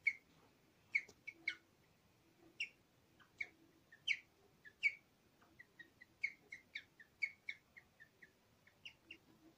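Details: Nyusha, a pet guinea pig, in her final recording before dying on 31 October 2020, singing a run of short, high, bird-like chirps. They come in irregular bursts and pairs, roughly two per second, with a quiet background.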